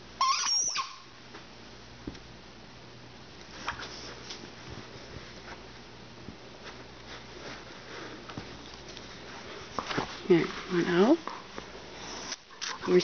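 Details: Flower, an 11-month-old female Rhodesian Ridgeback, plays with her tennis ball indoors. A short, wavering whine-like groan rises and falls near the end. Sniffing, soft thumps and a brief high squeak at the start surround it.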